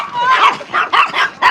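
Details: Shiba Inu, male, aged five years and eight months, recorded in Rotterdam, Netherlands, on 19 April 2025; a string of short, high, whiny yelps with bending pitch, about five bursts in under two seconds.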